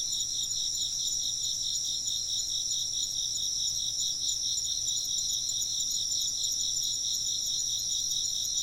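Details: Unbroken insect chirping: many high, thin trills pulse rapidly together at steady volume, a gentle hum beneath and no other clear sounds.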